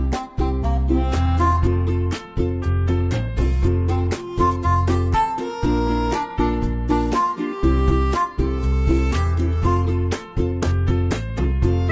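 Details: Cheerful plucked-string music with a steady bass beat fills the whole stretch, and no animal calls can be picked out.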